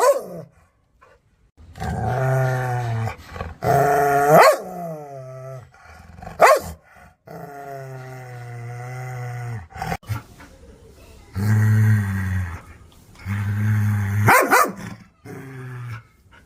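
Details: Aggressive, angry dogs barking toward the camera or an off-screen sound: long low rumbling growls that rise into snarls, broken by sharp loud barks every few seconds, with short silences between bouts.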